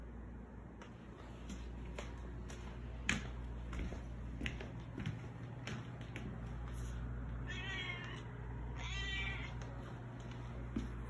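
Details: A house cat named Baby Girl keeps following for food, calling for more though dry food sits in her bowl; two short meows come late amid a run of clicks and taps from a small room.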